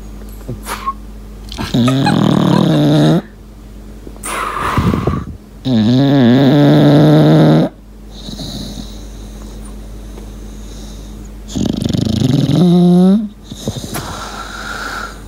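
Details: Whistling breaths from Lincoln, a pet English Bulldog, while he sleeps indoors: three loud, nasal, tonal whistles, each roughly one and a half seconds, separated by quieter snuffly breathing and soft rustling.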